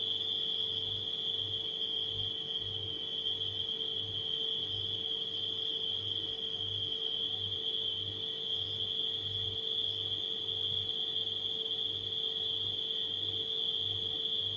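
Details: Crickets at night keep up a continuous shrill ringing tone that never changes pitch, while a refrigerator drones steadily underneath with a faint pulsing low throb.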